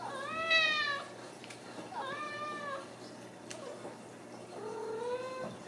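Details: Three drawn-out meows from Ragdoll kittens born and raised in a home cattery in central Kansas. The first is loudest and arching, the next two flatter and longer, over a faint indoor hum.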